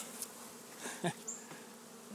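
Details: Defensive honey bees, possibly Africanized, swarm at a tree-hole colony in St. Johns, Florida, stinging the beekeeper about six times, recorded on a phone. A continuous busy buzzing drone is punctuated by a few soft thumps and knocks.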